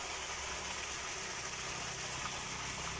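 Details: Steady broadband hiss like rushing water or an idling engine fills the recording, with no animal sound.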